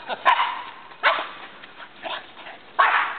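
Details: Jena, a Labrador Retriever, and Franklin, a Boston Terrier, tussle over a tetherball. Four loud, short barks land roughly every second, each a harsh burst that fades quickly into quiet room noise.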